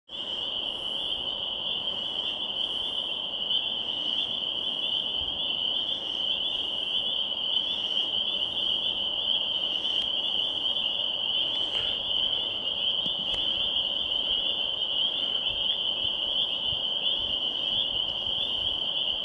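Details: Loud spring peepers at Swatara State Park form a dense chorus, high piping peeps blending into one steady shrill ring.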